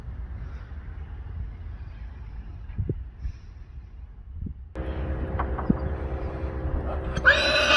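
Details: Friesian stallion Johnny, kept with a herd, calling because he wants to go in where the mares are going: quiet hoof and handling sounds, then from halfway a loud, sustained, harmonic whinny that swells toward the end.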